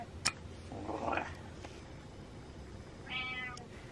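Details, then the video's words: Pet cat indoors urging its owner to get up; a sharp click, a muffled nasal mew, then after a pause a short clear harmonic meow near the end. "Cat Tells Dad To Get Up"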